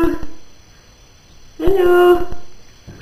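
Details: A pet cat being given a bath indoors lets out one drawn-out, steady meow lasting about half a second, preceded by a person's voice coaxing it in a small echoing room.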